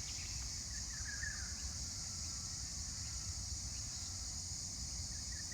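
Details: Cicadas give a steady, shrill high-pitched drone that never lets up on a bush walking track about 30 minutes north of Brisbane in good weather, with a few faint bird notes (kookaburras mentioned) and a low wind rumble underneath.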